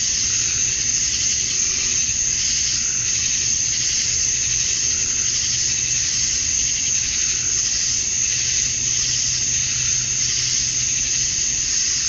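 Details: Male cicadas in a dusk summer chorus in Georgia, USA, calling for females: an even, intense high buzz with slight pulsing swells, a fine steady whine above it and a faint low hum.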